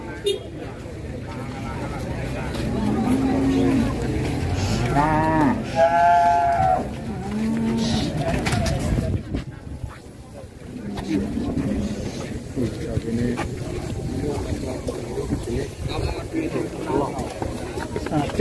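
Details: Cattle that broke loose and went on a rampage gives a long, drawn-out harmonic moo midway through, surrounded by people talking and calling out nearby over steady outdoor background noise.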